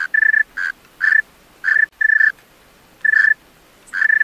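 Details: Singing at night, a male tree cricket produces about eight loud, pure-toned chirps and short trills on an unchanging high pitch, with a noticeable pause midway. No other noise is heard.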